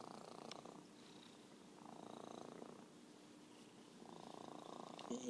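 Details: Merlin, an orange tabby cat described as a champion purrer, purring in soft rasping bursts about a second long separated by quieter gaps, with a faint steady background hum and some faint voice-like sound.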